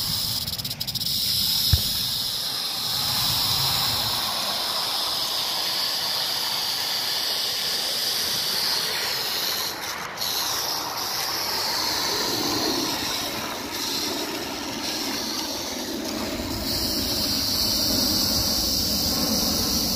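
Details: Rattlesnake recorded on 1 July 2018, giving a continuous hissing, high buzzing rattle that holds a steady loudness for the whole stretch, with faint low rustling underneath.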